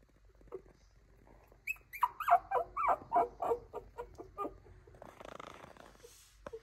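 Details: Spirited female Toy Poodle puppy gives a quick run of short, whiny yips, about seven in two seconds, each slightly falling, then a brief rustling scuffle and one last squeak.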